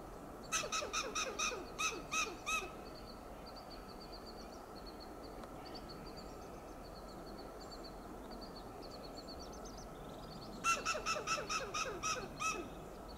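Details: Western gray squirrel on a coast live oak in Del Monte Forest, California, giving loud alarm calls: staccato clucking bursts of about eight rapid barks near the start, a quiet stretch with faint high bird notes, then another burst near the end.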